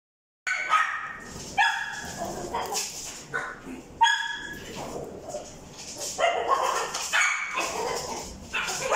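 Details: Male Papillon with a white and brown coat, born 13 February 2021, gives high, ringing yips and barks in quick bursts. The barks follow one another almost without pause across the recording, over some background noise.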